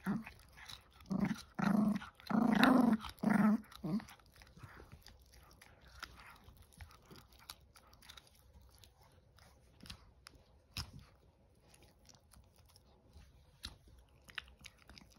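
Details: A 19-week-old Chihuahua puppy busy chewing gives a quick run of rough, low growls in the first few seconds, then falls back to soft crunching and mouthing sounds in a small room.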